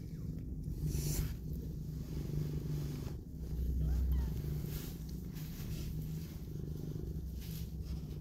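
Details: Mother cat cuddling and kissing her newborn kittens as one opens its eyes; a low, rough, steadily pulsing purr rumbles throughout, broken by brief rustles and soft bumps of movement.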